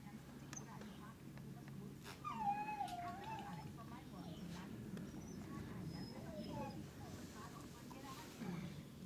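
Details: Dogo Canario male puppy named Baba, 11 weeks old, whimpers: a thin, high whine sliding downward, then a few shorter, softer whines later, under steady German speech from a man nearby.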